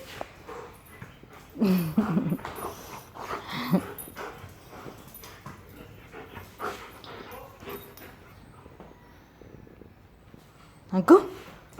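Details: Belgian Malinois dog with the zoomies, playing and barking; a few short, rough barks and whimpery yelps in bursts near the start and again near the end, with quiet rustling and thumps between.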